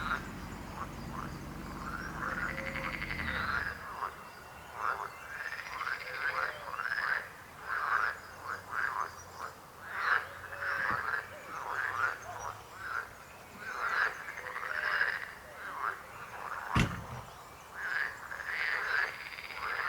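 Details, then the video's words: Many frogs croaking together, a busy stream of short arching, rasping croaks repeating throughout, with faint trilling behind and a low rumble fading in the first few seconds. "Rechot żab. Croaking frog sound."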